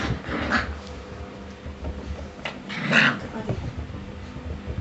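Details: Springer Spaniel pups, six weeks old, make a sharp high yelp near the middle, with softer whines around it, over steady indoor background rumble and nearby human voices.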